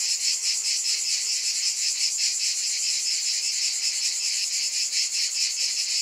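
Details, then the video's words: Cicadas buzzing in a dense, continuous high-pitched drone that pulses softly about two to three times a second, with no other sounds standing out. "Scintillating Cicadas"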